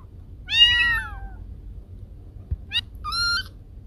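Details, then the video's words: Domestic cat meowing, its sound said to scare away rats: a long drawn-out meow that rises, then falls, then a shorter, higher double meow after a quiet pause, over a low background hum. "Suara Kucing Pengusir Tikus"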